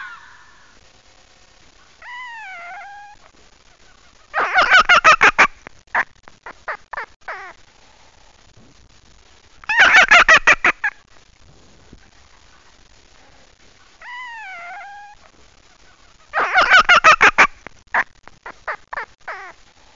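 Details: Fox. Drawn-out, wavering whines rise and fall, then give way to a fast, rattling burst of harsh barks and a few scattered yaps. The same sequence of fox cries repeats roughly every six seconds.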